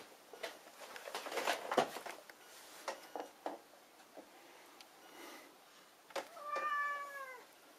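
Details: Indoor Burmilla cat: a stretch of rustling and clicking handling noise, then one short, clear, slightly falling meow at the end.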